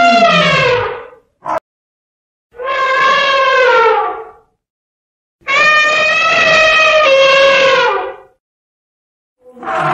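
An elephant gives loud, brassy trumpeting blasts, each lasting a few seconds with short pauses between.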